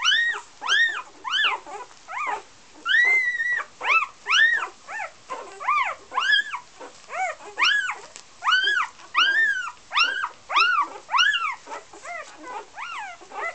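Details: Young Golden Retrievers from Great North Golden's "A" litter in Iceland cry insistently. Dome-shaped, whistly whines with rich harmonics come in a dense, nearly continuous series, some overlapping as several pups call at once.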